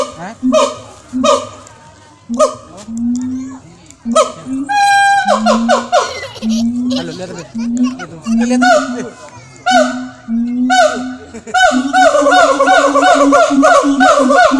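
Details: Zoo-kept siamang at Jurug in Solo, Central Java, calling in a long series of loud rising hoots and barks that come faster and denser toward the end, merging into a continuous run of overlapping calls.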